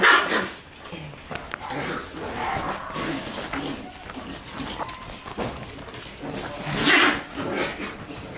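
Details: Shiba Inu puppies swarming around a person who has entered their room; scattered short barks and high whines over constant scuffling and shuffling, with a louder yelping burst near the end.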